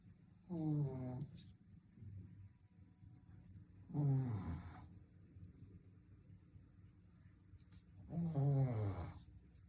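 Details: Three loud rattling snores from a sleeping Shih Tzu, spaced about three and a half seconds apart, each roughly a second long with a buzzy, sliding low tone and soft breathing between.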